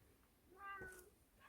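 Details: Domestic mountain-village cat, cowed by grandma chopping firewood, meows back as she keeps asking whether it is okay to just sit there; one soft, short rising-then-falling meow over faint room noise.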